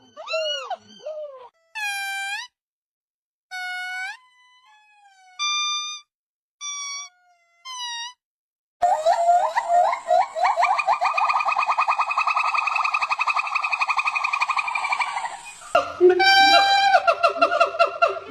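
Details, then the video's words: Monkey calls: short harmonic whoops and bent, arching notes in separate bursts, then a long run of rapid, tightly repeated rising notes, ending in a few loud, strained harmonic cries. "Exploring the Weird & Wonderful Sounds of Monkeys"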